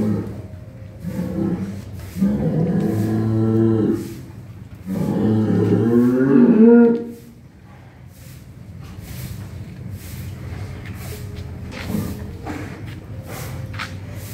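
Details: Simmental and Limousin cattle in a pen at Kampung Deraham, Jambe, Tangerang, Indonesia: long, loud harmonic moos, two drawn-out bellows rising then falling, followed by quieter low calls, with faint human voices in the background.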